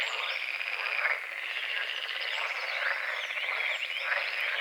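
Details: Dawn chorus of frogs on a small lake at a forest edge, continuous rattling croaks in overlapping waves, with thin bird chirps and whistles mixed in above.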